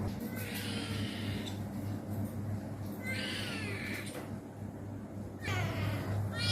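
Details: Pet cats being played with at home; three drawn-out meows, each about a second long with wavering stacked harmonics, at the start, middle and end, over a steady low hum.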